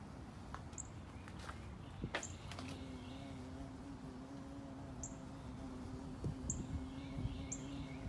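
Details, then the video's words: Carpenter bee in flight, investigating the area around a carpenter bee trap; a steady low droning hum holds for several seconds, with faint scattered bird chirps and sharp clicks in the background. "Flight of the Carpenter Bee"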